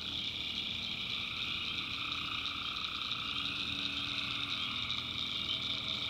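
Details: Night chorus of tree frogs in a North Carolina backwoods swamp, a steady shimmering wall of high trills with a fainter mid-pitched droning band running throughout.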